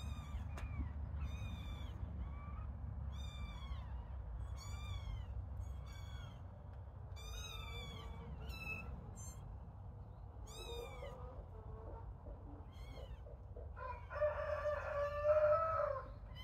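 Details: Little kittens playing call in a long run of short, high mews repeated every second or so, then trail off into fainter cries and a brief rustle near the end.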